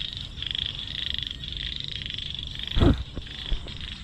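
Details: Frogs being caught to feed to fish: a steady high pulsed trilling chorus runs through the whole stretch, with a sharp thud and splash near the end and faint low rumble underneath.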